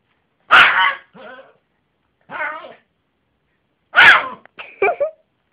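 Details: Yorkshire terrier barking indoors: two sharp, bright barks about three and a half seconds apart, each followed by softer, rougher short yaps, with silence between.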